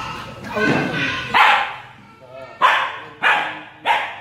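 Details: Jealous female Siberian Husky vocalizing in short, bright, harmonic bursts that rise then fall, about one every second in the second half, with human speech and murmuring underneath.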